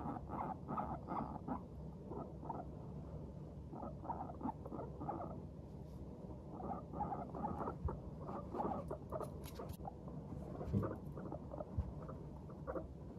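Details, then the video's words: Guinea pigs in a cheerful mood chatter in quick, soft putt-putt pulses while walking briskly. "【10プププン耐久】軽快に歩く♪上機嫌なモルたちのお喋り Guinea pigs chatting【鳴き声】【かわいい】"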